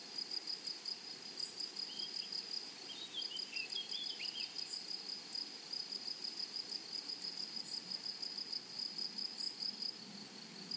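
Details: Meadow grasshoppers singing among flowers: a rapid, evenly pulsed high-pitched chirring runs throughout, with faint short bird chirps drifting in around the middle and a low natural outdoor hum beneath.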